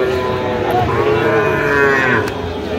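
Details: Sahiwal calf lowing at a Bangladeshi cattle market where a Khulna farmer haggles over bull calves, 17 October 2025; one sustained, even-pitched moo runs almost the whole moment, with bargaining speech and crowd noise around it.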